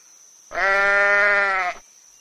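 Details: Sheep, said to live in groups, have wool-covered skin and eat grass. One steady, drawn-out harmonic bleat lasts just over a second at an even pitch, with a faint constant high tone underneath.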